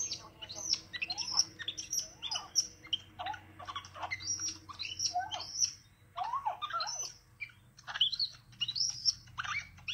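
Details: Pet baby capuchin monkey, a little male, welcoming his owner home after a shower break spent with a babysitter. Excited high twittering: repeated piercing chirps, short rising and falling whistles in quick clusters, faint room hum behind.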